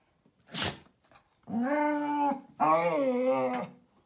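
A Vizsla gives two long, wavering, moaning vocalizations after a brief sharp noise.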